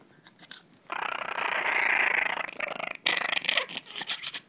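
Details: Pet Chihuahua hiding under a shirt, guarding his bone indoors: after a quiet second, a continuous rough rumbling growl for about two seconds, then broken, pulsing growl bursts of varying loudness.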